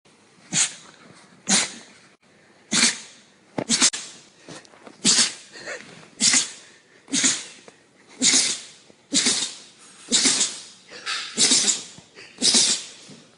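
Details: Dog giving a rapid run of harsh, breathy sneeze-like snorts, roughly one burst per second for more than a dozen bursts, each noisy and unpitched. Quiet gaps fall between bursts indoors.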